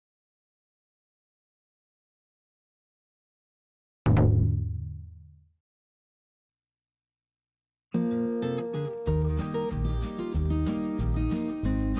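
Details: Silence opens, then a single deep plucked guitar note rings out and fades, followed after a pause by strummed guitar music, with no animal voice.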